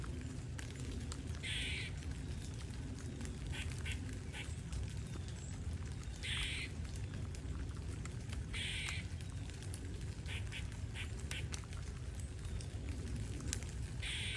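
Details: Squirrel giving loud calls: short, harsh, chattering bursts repeated roughly every one to two seconds, set against a steady low rumble and patter like rain throughout.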